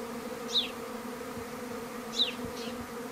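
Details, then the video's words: A swarm of treatment-free garden honey bees in May, heard at breakfast time: an even, humming drone. Two quick, bright bird chirps stand out above it. "Honey bee swarm over breakfast"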